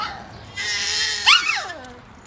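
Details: A 10-week-old French Bulldog puppy "talking" with a 4-month-old baby gives a short, wavering howl that slides downward in pitch.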